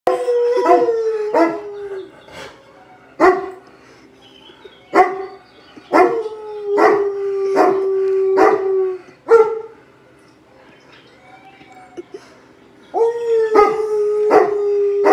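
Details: A Great Pyrenees gives repeated short, falling howls mixed with sharp barks, answering recorded wolf howling played in front of it.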